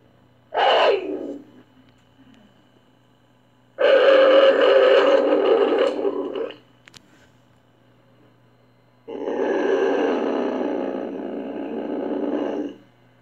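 A caracal gives three harsh, rasping growls, one short and two long, with pauses between.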